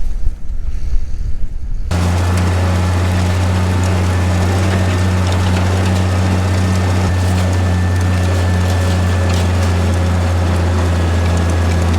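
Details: Steady low engine or machinery hum with broadband noise, briefly quieter at the start, with no animal voices heard.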